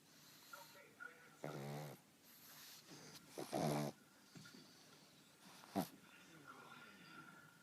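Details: Pug snoring loudly while taking a short nap indoors; two rough, buzzy snorts about two seconds apart, with scattered softer breathing noises and faint background sounds between them.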